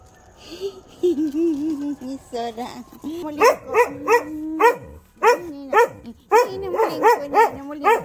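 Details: Dogs, including a little female named SoRA, howling early in the morning after waking to a siren alarm: wavering mid-pitched howls that break into a run of sharp, rising yelps repeated about twice a second.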